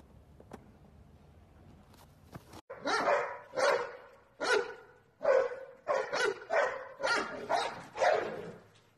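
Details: American Bully dog barking, a run of about ten loud, harsh barks roughly one every half second after a quiet start, each bark broad and full-toned with a strong mid-range emphasis; no other clear sounds.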